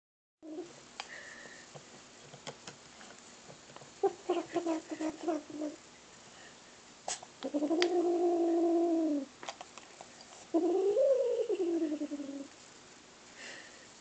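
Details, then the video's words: Domestic cat making weird noises: a few short chirpy bursts, then two long, drawn-out, harmonic yowls of about one and a half seconds each, the second rising then falling, in a quiet indoor setting. "Cat makes weird noises"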